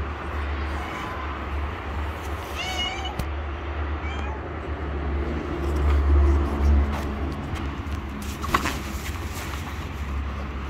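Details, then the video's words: Street-living stray cat meowing for food as it approaches; two brief meows close together early on, then only a constant low urban rumble with a louder swell of traffic noise. "Cute stray Cat who gently Meow and approach me and ask for Food."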